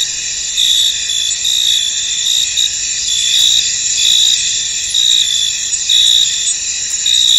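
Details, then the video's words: Misty-field cricket chorus: continuous shrill trilling from many insects, overlaid by sharper chirp bursts recurring about once a second at an uneven pace. "Tranquil Cricket Sounds In An Misty Field"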